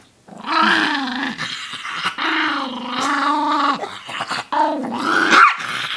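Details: Chihuahua named Koda, disturbed during his relaxation, lets out long sustained growls that waver up and down, a steady rumbling moan broken by two short gaps, loud and close.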